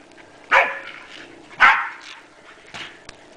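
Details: Pet Pembroke Welsh Corgi playing and chasing her frisbee outdoors in a January 2011 snowstorm in Columbus, Indiana; two sharp barks about a second apart, a fainter third bark, with a person talking encouragingly in the background.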